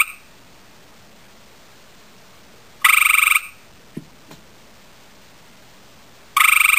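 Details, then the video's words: A male gray tree frog (Hyla versicolor), having seen a female, calls to her with loud, rattling trills separated by quiet pauses, and the call works. "Male gray tree frog ( hyla versicolor ) calls to female"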